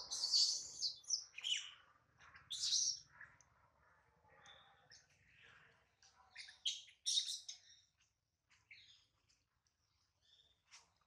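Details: Hungry baby monkey named Adler, separated from his mom and held by a small monkey, gives piercing high squeals, strongest early on, then a second cluster of thin cries before fading to faint whimpers.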